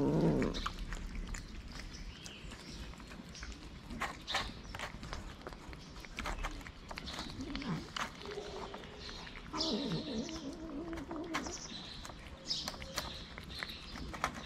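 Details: Hungry cats, six of them gathered at feeding time at a small shelter for abandoned kittens in Morocco; a short loud meow opens, then softer scattered mewing amid clicks, rustling and faint background noise.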